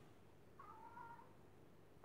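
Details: Domestic cat, described as naughty, indoors: one quiet, drawn-out meow lasting about half a second, steady then slightly wavering in pitch, over a low background hum, with a person's voice calling just before and after.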